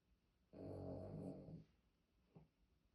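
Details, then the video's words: An old pet poodle with heavy snoring: one rough, buzzy snore lasting about a second, low and raspy, followed by a faint short snort in a quiet room. "코골이 심한 반려견"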